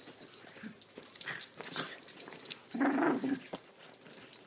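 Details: Two small dogs playing indoors, Lilah the blonde Chiweenie and Minnie, a Rat Terrier and Chihuahua mix, usually frenemies. Quick scuffling snorts and wheezy huffs, then a short rough growl near the middle of the burst.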